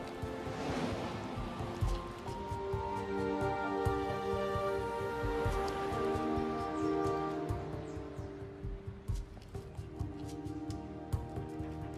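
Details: Sustained background music with soft rustling, patter-like noise and clicks, and no barking, growling or other animal sound heard.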